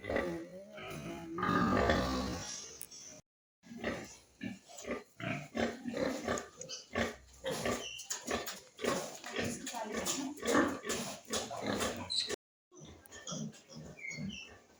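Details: Pigs at a pig farm raising piglets: a dense run of harsh, rapid grunts and squeals in irregular bursts, with brief silent breaks, some voices mixed in.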